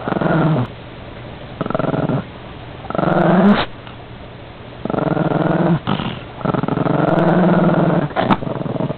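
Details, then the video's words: Chihuahua indoors guarding his cookie, growling in long rumbling bursts of about a second or two, separated by short pauses, with a sharper snarl rising near the middle and end. "The Chihuahua protects his cookie"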